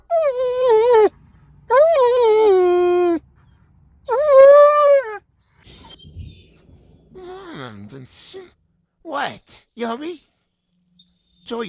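A German Shepherd gives long, tonal whines that slide downward, then shorter grumbling and yelping sounds.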